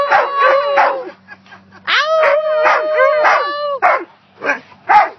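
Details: A wolf hybrid at a dog park howls alongside a husky: short, wavering, arched notes that rise and fall in quick succession.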